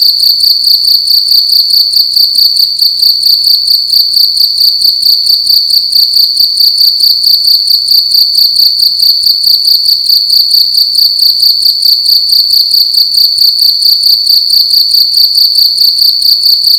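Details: A cricket calling loudly at night inside a room: a steady, shrill, high-pitched trill made of rapid pulsed chirps, repeated without pause throughout, with a faint low hum beneath.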